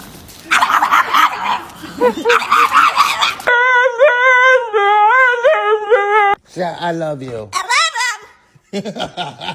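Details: Pet dog making unusual funny noises: a run of wavering, tonal whining howls in the middle, followed by shorter yelping cries, with human speech at the start and end.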